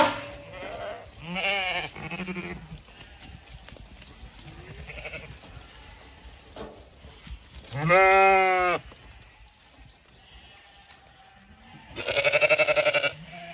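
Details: Zwartbles ewes leaving the long acre field just before sunrise on a Sunday morning on a farm in County Kilkenny, Ireland; a few separate wavering bleats, the loudest near eight and twelve seconds, with quiet gaps between.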